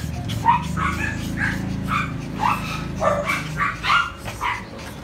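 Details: Poodle offered for breeding in Tan Binh District, Ho Chi Minh City, Vietnam, giving sharp, high, rising yaps, about eight spaced through the stretch, over a background of low droning music.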